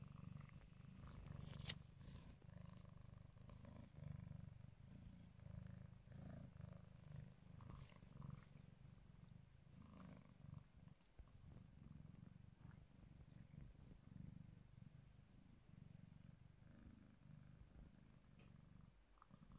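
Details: Lele, a kitten, purrs continuously on a new scratch bed indoors; deep even rumble rising and falling in breath-length waves, broken by a few light scratches and rustles.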